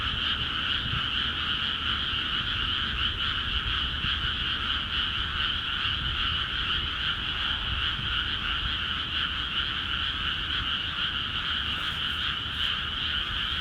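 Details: Frogs in full voice across Akiha Ward paddies filled with water, a constant rattling, pulsing chorus in two stacked pitch layers, with a couple of brief sharp clicks near the end.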